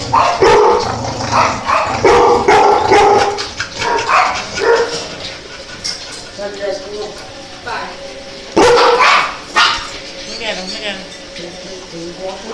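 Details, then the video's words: Several dogs barking among people choosing one to adopt; sharp, irregular barks burst out roughly two or three times a second, overlapping with constant conversation and voices nearby. "The cutest dogs barking"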